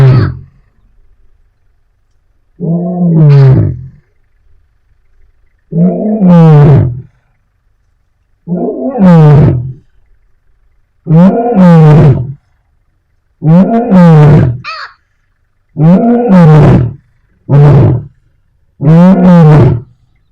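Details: A lioness gives deep, grunting roars about every two and a half seconds, calling her pride, in Africa.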